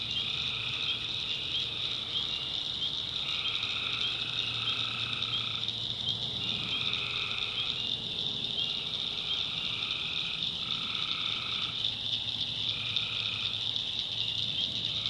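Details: Tree frogs at night in the backwoods of North Carolina, calling in a thick, constant high trill while lower drawn-out notes of roughly a second each come in repeated overlapping bursts, over a faint low rumble.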